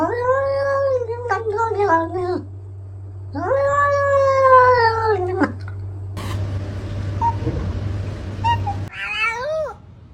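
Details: Domestic cat meowing: long drawn-out harmonic meows, rising then falling, repeated several times, followed by a hiss-like noisy burst and a short final meow; a steady low hum runs underneath.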